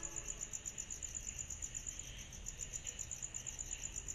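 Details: On a summer night, cicadas keep up a high, fast-beating trill, each pulse quick and even, layered over a quieter midrange hiss.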